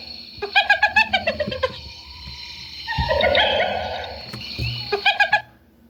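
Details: Hyena laugh: a quick string of staccato, high nasal yelps opens and closes the passage, with a longer drawn-out whining tone swelling in the middle.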